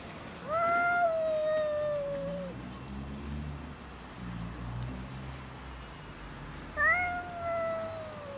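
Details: Domestic cats fighting over food, refusing to share: two long drawn-out yowls with a falling pitch, separated by a stretch of low rumbling growl, in a quiet setting.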